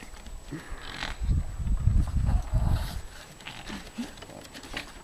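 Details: Two Boston Terriers growl in low, rumbling bursts while play fighting on a dock at a cottage.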